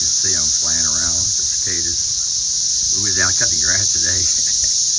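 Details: Cicadas flying around a garden over potato plants after grass cutting, emerging in large numbers: a steady, loud, high-pitched droning hiss continues throughout, with a man talking over much of it.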